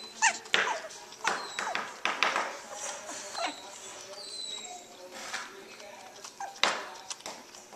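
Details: Two-week-old puppies beginning to wrestle and play with each other: short high squeaks, yelps and whimpers scattered through, with rustling and a faint human voice.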